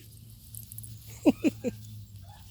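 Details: Miniature Dachshund puppies playing with their mother: three short, high yelps in quick succession within about half a second, over a quiet indoor background.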